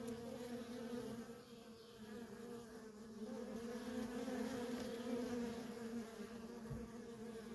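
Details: Continuous hum of many worker honey bees coming and going at a wild feral colony: a dense, steady drone on two stacked tones that grows a little louder midway, with a soft low bump near the end.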